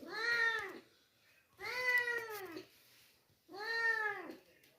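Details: Rescued stray kitten being fed milk cries three times in steady succession, each meow a long, clear, arched wail lasting under a second, roughly two seconds apart, in a quiet indoor space.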